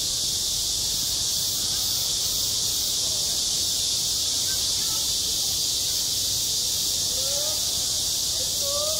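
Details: Cicadas singing on a school playground in high summer: a dense, unbroken high-pitched buzzing hiss that stays steady throughout, with faint distant children's voices underneath.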